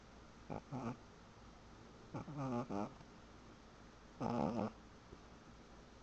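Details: Sleeping dog snoring indoors: three short nasal, wheezy bursts with whistling overtones, spaced about two seconds apart, the middle one a quick triple snort, over a quiet room hum.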